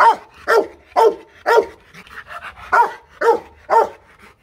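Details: Aggressive Rottweiler barking at a kennel in Hoang Mai, Hanoi, Vietnam: a steady series of eight powerful, deep barks at an even pace of roughly two per second, with short quiet gaps between them.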